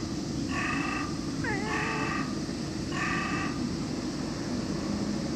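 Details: A cat gives three drawn-out, tonal meows about a second apart, the middle one bending and wavering in pitch, over a steady low rumble of background noise.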